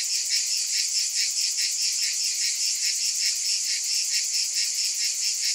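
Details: Continuous high cicada drone, a bright insect buzz throbbing in quick regular pulses around two per second, unbroken and even in loudness throughout.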